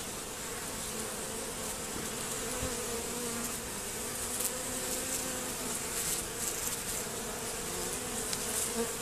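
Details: Western honey bees buzz in a steady, dense hum with a low drone around a hive whose reduced entrance has an anti-robbing screen fitted, while some bees still attempt robbing.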